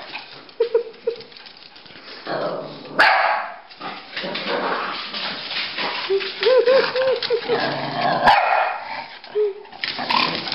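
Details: Pekingese and Bulldog, Rocky and Bully, playing chase indoors; short high yips and a run of quick whiny barks midway amid scuffling, panting and thumping, with a person's voice urging them on.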